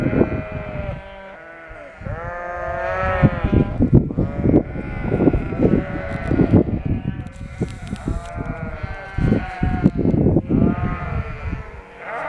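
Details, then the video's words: Ewes and lambs of the Shropshire breed after lambing, relocated to a field in rural Shropshire; a continuous chorus of quavering, harmonic bleats, long and short, rising and falling over low background rumble. "Shropshire sheep are noisy after lambing"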